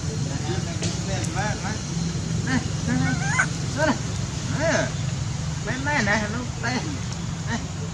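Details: Baby monkey Sweet Pea crying loudly, angry at his mother: a run of arched, harmonic wailing cries, rising then falling, coming in bursts a second or so apart over a steady low rumble of wind or traffic.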